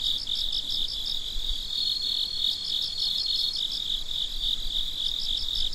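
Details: Crickets chirping at midnight: a steady high-pitched trill with a second, pulsed chirp layer overlapping in short bursts, continuous night chorus with no other sounds.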